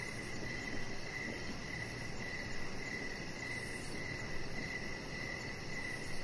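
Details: Crickets in the evening outdoors by a deck, giving fainter high chirps in a regular rhythm roughly every half second, partly masked by a low steady rumble.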